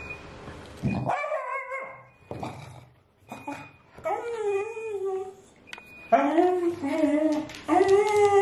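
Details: Female Pembroke Welsh Corgi, about four years old when adopted, indoors at home, furious at dishwasher and bath alarm sounds: drawn-out wavering howls and whining yowls, rising and falling, interrupted by short sharp electronic beeps.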